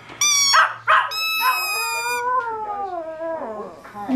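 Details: Small male pet Chihuahua, newly learned to howl, responding to a squeaky toy: shrill steady toy squeaks, then a wavering howl that slides slowly downward and tails off, with a short squeak at the end.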